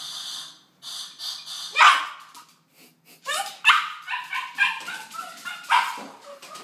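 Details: Dog losing control when the doorbell rings: a doorbell chime, then a burst of loud, rapid, uneven barks and yips, some rising and whining, continuing for several seconds in an indoor space.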